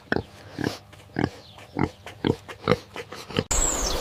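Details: A medium black farm pig giving short, low, snorting grunts in a steady series, about seven in three and a half seconds, before an abrupt change to a different sound.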